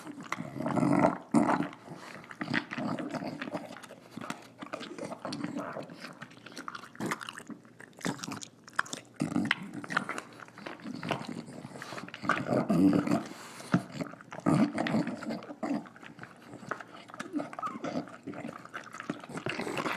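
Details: A female English Bulldog named Nila snorts and snarls steadily through her dinner, with a continuous stream of throaty, rasping grunts interrupted by crunching and biting sounds.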